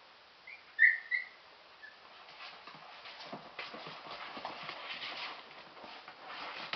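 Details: Two 43-day-old Airedale Terrier puppy brothers at a kennel early on a Monday morning; a brief high, thin whine near the start, then soft rustling and scuffling of play.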